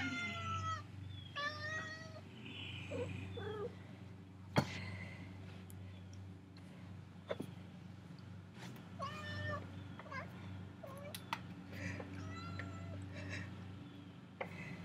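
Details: House cat crying to be let out: a run of short, repeated meows, some wavering, spaced through the recording amid a low hum, sharp clicks and faint rustling.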